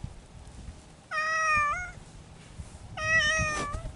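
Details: Feral mountain cats courting in spring: two long, drawn-out yowls with rich harmonics, each about 0.7 seconds, the second slightly wavering at its end, over a quiet background.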